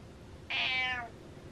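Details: Pet cat urging its owner to get out of bed; one clear, insistent meow lasting about half a second, starting high and sliding slightly downward over faint room noise.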